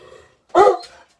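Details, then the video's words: Coonhound barking angrily, impatient for his walk: a single harsh, loud bark with a low rising pitch, lasting about a quarter second, after a faint murmur beforehand. "Angry coon hound wants his walk"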